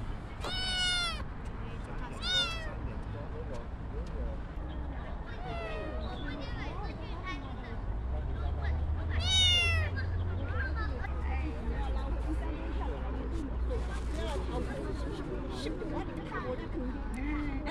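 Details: A kitten gives high, thin, rising-then-falling meows, several in the first seconds and one strong one near the middle, over steady low rumbling background noise and some voices.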